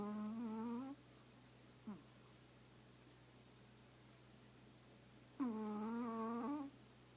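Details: Chihuahua napping while snuggled into its owner's lap, snoring: two drawn-out nasal, humming tones with a steady low pitch and rich overtones, each lasting about a second, plus a brief soft snort between them, over a faint steady indoor hum.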